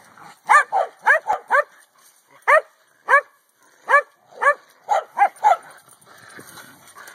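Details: A corgi at a hula hoop party lets out quick, high-pitched yappy barks in uneven bursts, some doubled, with short pauses between.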